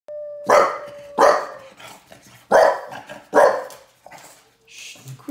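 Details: English Bulldog puppy, six months old, barking while listening to recordings of other dogs barking: four sharp, broad barks spaced under a second apart, preceded by a steady faint tone, with a soft voice near the end.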